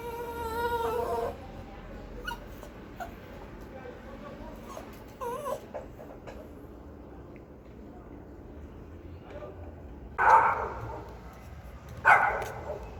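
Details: Pinscher dog barking loud and fierce: a high, harmonic whine in the opening second, then a long quiet stretch broken by faint yelps, and two sharp, harsh barks near the end, the second about two seconds after the first.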